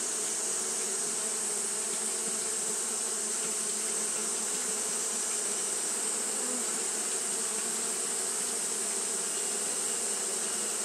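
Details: On a hot day, Japanese honey bees fan without pause, giving a smooth sustained hum of low buzzing tones and a steady high-pitched hiss running through.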